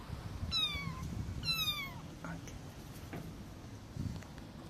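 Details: Homeless kitten, separated from its mother, crying for help: two loud, high meows in quick succession, each sliding downward with bright harmonics, then only faint rustling and low background rumble.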